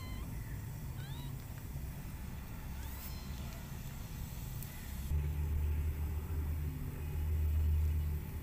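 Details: Newborn kitten trying to climb, giving several thin, high mews with stacked overtones, some sliding upward, in the first three seconds, then quiet while a low, steady rumble builds and swells toward the end.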